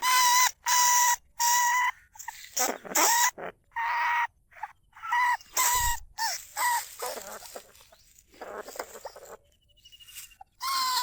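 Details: Caged lesser bandicoot rat, a rice-field pest, recorded live at Na Lao, Nong Khu Phai, calling to other rats. Harsh, raspy squeals come in bursts with short gaps, then quieter scratchy rustling and softer calls toward the end.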